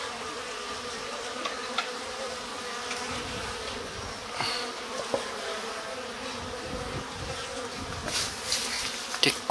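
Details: Japanese honey bees in a stacked-box hive in spring, active as the slide-out bottom board is opened; a steady, dense buzzing hum with light clicks and scraping from handling the hive.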